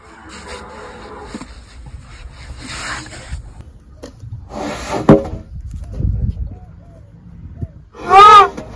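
An elephant gives a loud, wavering high squeal after scattered snorts and low rumbling sounds.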